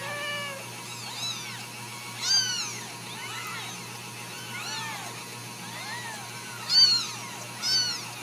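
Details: Several Ragdoll kittens, home-raised without cages in central Kansas, give high, overlapping arched meows, each rising then falling, in clustered bursts about once a second, with a few louder squeaks over a faint steady hum.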